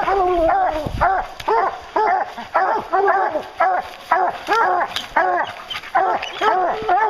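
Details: Bear-hunting hounds bay steadily, bursts of ringing, arched barks repeating roughly twice a second as several dogs call together; a low thump sounds near the start.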